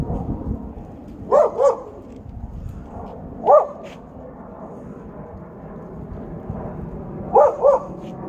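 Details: Siberian Husky reacting to its most hated enemy with clipped, yelping barks, mostly in pairs, separated by two to four seconds of steady low background hum.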